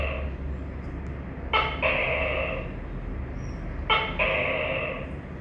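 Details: Tokay gecko giving two two-part calls, each a short sharp note followed by a longer, loud, nasal harmonic syllable, about two seconds apart, over a steady low hum.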